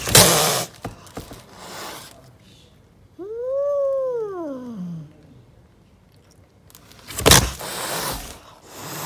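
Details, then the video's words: Angry stray mother cat defending her kittens on the street: a sharp spitting hiss opens, then a long wavering yowl rises and falls in an arch, and another explosive hiss bursts near the end. "Angry Mother cat protects her Kittens and doesn't let anyone approach them"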